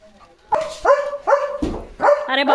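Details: Leo, a pet German Shepherd dog, gets a new pipe toy to chew and play with as rain begins to fall; four loud, tonal barks or yelps about half a second apart, with human speech nearby.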